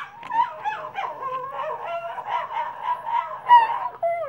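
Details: Male Cavalier King Charles Spaniel and Papillon mix dog howling for the first time: a sustained, wavering, slightly pulsing whine that holds a steady pitch for about four seconds, then breaks off into a short falling yelp.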